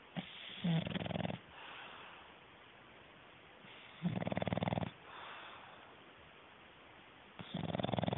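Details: English bulldog, a male, knocked out asleep, snoring loudly: rattling, fluttering breaths of about a second, separated by quieter exhalations, with roughly three snores across the stretch; a man's voice follows.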